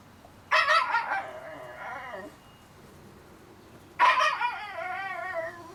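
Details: Two drawn-out whimpers from 30-day-old Shiba Inu puppies, each starting sharply and then trailing off in a quavering, undulating whine, separated by a few seconds of quiet.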